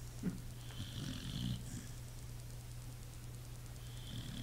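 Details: Sleeping pit bull snoring indoors: two or three rough, low rasping breaths in the first second and a half, then quiet breathing over a steady low electrical hum.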